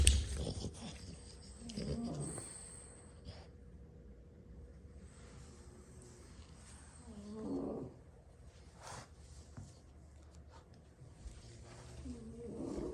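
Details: French Bulldogs, six brothers, asleep after a long play session and lying wherever they dropped; low, rough snores come in bursts roughly every five seconds, with quiet breathing and room noise between them.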